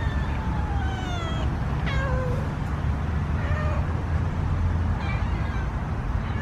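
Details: Hungry house cats meowing before feeding: repeated drawn-out meows, some falling and some rising, overlapping at times, over a constant loud low-pitched hum.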